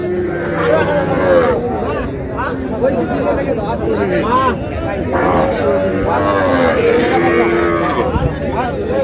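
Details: Cow with calf at the Raniganj livestock market in Dinajpur on a June morning after sudden rain. A drawn-out low moo rises through dense bargaining chatter and men's voices throughout.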